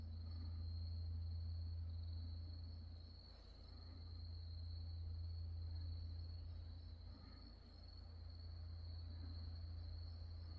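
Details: Night insect chorus at Wonhyosa temple, Mudeungsan, in October 2024: one sustained, even, high-pitched trill without pauses, over a loud low drone from a distant temple bell that fades and returns.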